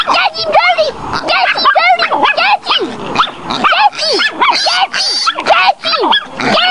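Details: Dense, excited baying from the Chihuahua Tootie confronting a wild boar piglet: a near-continuous stream of sharp, high-pitched yips and squealing yelps, each curving up and down, packed several per second.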